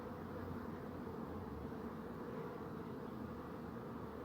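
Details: Bees humming in a steady, dense drone, low and even throughout with no breaks, a continuous murmur concentrated in the lower pitches.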